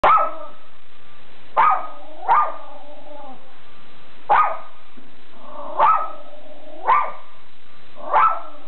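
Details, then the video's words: Schipperke named Captain Jack Sparrow guarding the house, giving seven sharp, loud barks at uneven gaps over about eight seconds, each a short burst with a brief ringing tail, against a steady faint hum. "Schipperke Guarding The House"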